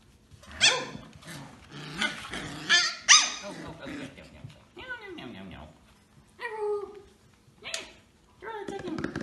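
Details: Samoyed puppies, called to play by rhythmic thumping, give a run of high, harmonic yelps and squeals with sliding, downward whines and a low growl between bursts, several short outbursts spaced a second or two apart, with voices in the background.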